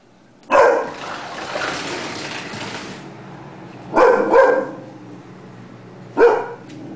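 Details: Indoors, the Dobermann Lola, a female, barks at some noise outside: three loud gruff barks spaced a few seconds apart, the middle one doubled, with a faint rustle between them.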